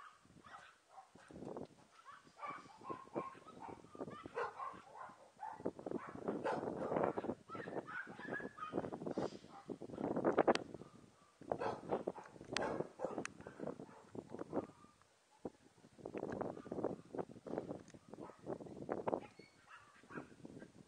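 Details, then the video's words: Emy, a Papillon mother, with her puppies: clustered short yips and squeaky grunts in irregular bursts, some louder and fuller, alongside thin whines and constant scuffling movement. "Emy et ses petits papillon Puppies"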